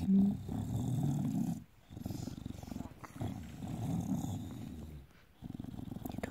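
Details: A bulldog lying on its back gives a low, rumbling, grumbling growl in pulsing bursts of about one and a half seconds, broken by brief silent gaps, while a man talks to it in a close indoor setting.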